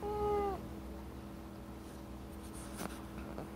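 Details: Black-and-white tuxedo pet cat answering with a short level meow while being scolded indoors for eating a foreign object, followed by quiet room hum.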